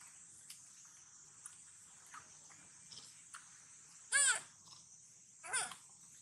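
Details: Sweetpea, a young monkey, calls sadly while hungry and looking for its mother before eating watermelon; two short, clear cries arch up and then fall, about a second and a half apart, over a quiet hiss with faint clicks.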